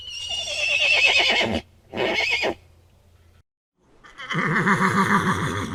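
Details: Repeated horse whinnies, high and quavering, each a second or so long, two close together then a pause before a lower, rolling neigh; faint low hum underneath.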